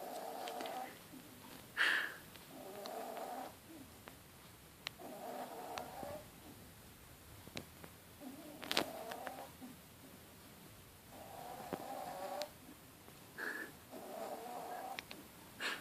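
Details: A 10-week-old female Bichon Frise x Jack Tzu puppy, asleep in her favourite spot under a table, snores softly, each raspy breath rising and fading every two to three seconds.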